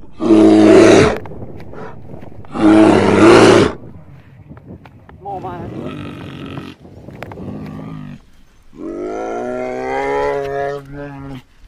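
A bear gives two harsh, rasping roars, then deeper drawn-out moaning growls.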